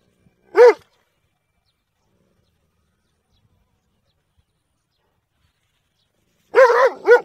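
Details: Single bright bark from a dog, then a long silence before a closing pair of barks in quick succession, each with clear stacked harmonics and a clean, noise-free background.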